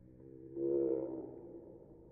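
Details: Female house cat mewing when pointed at, played in slow motion: one deep, drawn-out, roar-like meow with a low droning tone, swelling midway and fading slowly.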